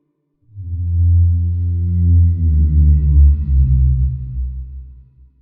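A whale gives a deep, sustained moan that slowly sinks in pitch over about five seconds.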